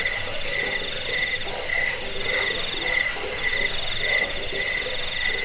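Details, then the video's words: Crickets, a recording used to repel rats, as a sleep aid and to tutor songbirds: a shrill, high, rapidly pulsed chirping with lower steady trills layered beneath, forming a dense insect chorus. "Suara jangkik pengusir tikus pengantar tidur"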